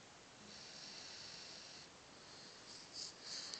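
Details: Jesse, a Cocker Spaniel mix dog, snoring while asleep on his sofa indoors: soft, hissing breaths drawn out over a second or more, then shorter airy puffs toward the end, in a quiet room.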